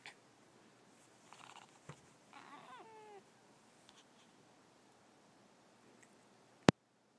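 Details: Benga, a male pet Savannah cat who likes walks in the woods, gives a pair of short, quiet, harmonic meows with falling, slightly wavering tones, the second longer, over a faint steady background hiss.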